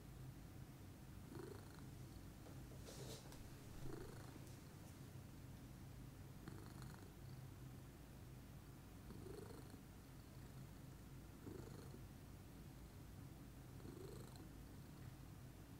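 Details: Female lilac Scottish Fold cat purring calmly in the morning: an unbroken low, throaty rumble, gently pulsing with each breath roughly every two to three seconds, with a few faint soft clicks.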